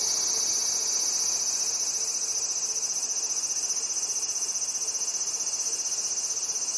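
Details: Male Large Brown Cicada (Graptopsaltria nigrofuscata) singing in full blast on a black locust trunk by a riverbank in Japan, sunny early-August afternoon, to attract a female; dense continuous high buzzing drone with steady rapid pulsing throughout.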